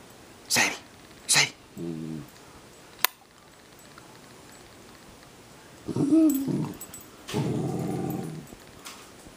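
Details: Pet dog, from a household with a German shepherd and a dachshund, indoors. Sharp knocks, then a brief low harmonic growl. Near six seconds comes a rising-then-falling whine, followed by a rough, breathy grumble.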